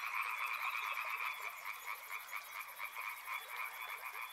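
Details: Frog chorus: dense, steady croaking in two bright bands, middle and upper pitch, pulsing rapidly without pause, with a faint high rhythmic ticking running above throughout.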